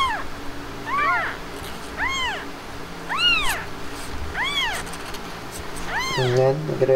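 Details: Blanca, a Himalayan cat that has just given birth, at home: a series of high, arched mews, one roughly every second, six in all, clear and evenly spaced, with a low hum beneath and a brief human voice at the end.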